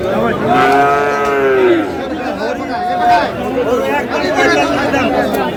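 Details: Bull calf of Friesian or cross breed at the Aftabganj market in Dinajpur, Bangladesh, 22 August 2026, giving a drawn-out, slightly falling bawl of over a second amid busy market talk, with a fainter call later.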